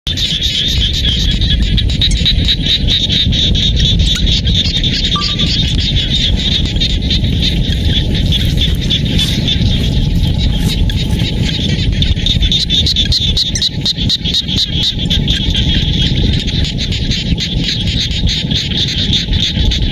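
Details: Frogs calling from real rice fields in the Cambodian countryside near Siem Reap, by a river's edge: a dense, steady, pulsing chorus of many callers, with a low rumbling background throughout.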